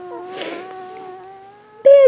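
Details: Two-week-old Border Collie puppy Bailey, born April 18th 2014 at Eastwillow Border Collies, gives a long, steady, low whine with faint overtones, ending in a sharp, louder squeak; a soft breathy rustle is heard early on.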